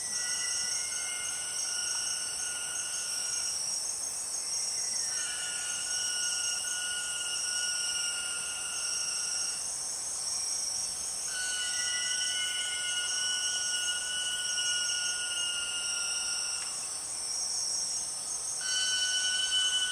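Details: Empress cicada, known as the 6 o'clock cicada, calling in the Borneo rainforest: a loud, pure siren-like tone with a clear overtone, in long held phrases that break and restart with small pitch steps, over a steady high buzz of other insects.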